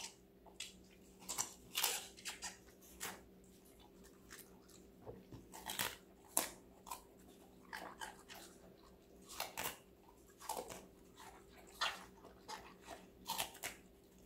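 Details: Golden Retriever puppy Connie, a five-month-old female, eating various vegetables: loud, bright crunching bites come in clusters every second or two, separated by quieter chewing, over a low steady indoor hum.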